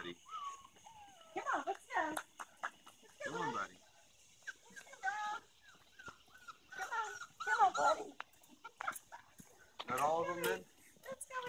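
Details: Several Golden Retriever puppies let out scattered bursts of harmonic whimpers and yelps, some sliding downward, with quiet gaps between and a person's voice in the background.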